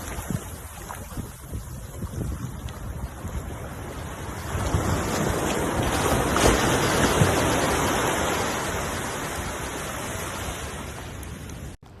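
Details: Wind buffets the microphone in a broad rushing roar, swelling midway and easing off toward the end, with no animal voice heard.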